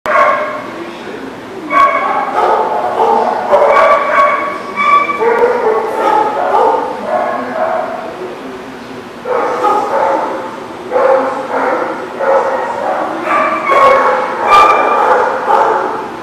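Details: Dogs barking at a dog lot, recorded 10/4/19: bursts of sharp, harmonic barks and yips come in quick runs with short pauses, and a human voice is faintly mixed in.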